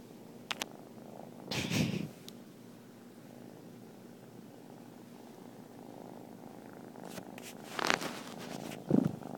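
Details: Konrad, a 3-month-old Turkish Van kitten, purrs steadily, a low continuous rumble with a few brief rustles.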